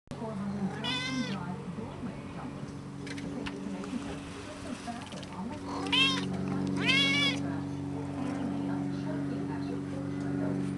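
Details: Cat on a balcony on a sunny day, giving three clear meows with stacked harmonics, the first near one second and two more close together around six to seven seconds, over a steady low hum and a person speaking softly.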